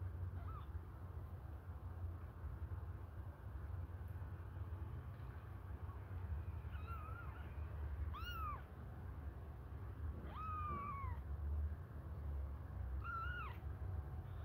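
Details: Hungry kittens suckling a finger give about five thin, high mews: short arched cries that rise then fall, scattered across the recording with gaps of one to three seconds, over a steady low hum.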